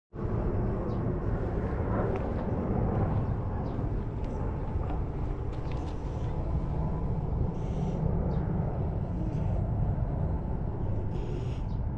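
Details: Steady low outdoor rumble, like distant traffic or an aircraft, with a few faint clicks and no animal voice.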